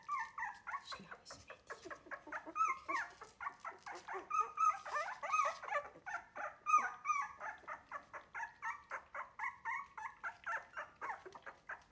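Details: Several three-week-old Wire-haired Miniature Dachshund puppies protest at being fed milk by a person rather than their mother, giving a steady stream of rapid squeaky whimpers and yips, several per second, with faint human voice.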